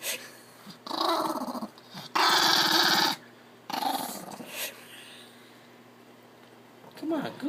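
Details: Irritated Chihuahua growling from inside a laundry basket while being coaxed to go outside: three rasping growls of about one second each, the middle one loudest, with a woman's voice and basket rustles between.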